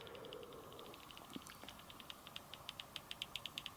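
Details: Common pipistrelle echolocation calls on a Pettersson D240x bat detector during a night bat survey at survey point 48, Linnamäe, on the Jägala river bank, 7 June 2024. Soft rapid ticking beats settle into a steady train of even pulses.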